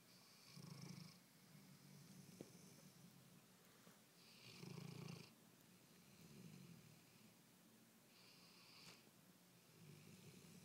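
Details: A small sleeping dog snores indoors, rough breathy rasps repeating about every two seconds with a faint hiss between breaths.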